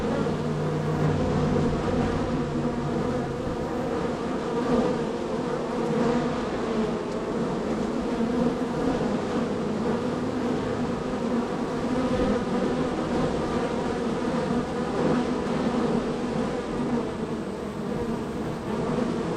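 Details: Honey bees at hive number three in a row of hives, extremely active that day with many entries and departures: a dense, steady droning buzz with a low layered hum that holds without a break from start to finish.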